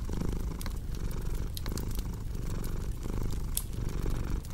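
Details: Purring house cat beside a crackling fire: a deep, grainy rumble swelling and easing in even breathing rhythm, overlaid by occasional bright pops and crackles from the fireplace.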